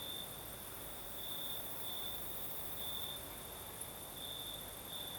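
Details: Crickets chirping at night in southern Crimea, breeze blowing: a high, even trill that brightens in short separated bursts, with a steady background hiss and a soft wash of distant insects.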